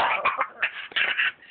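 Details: A male Staffordshire Bull Terrier, freaking out for unknown reasons, gives a quick run of short, rough barks and yowls when told to speak.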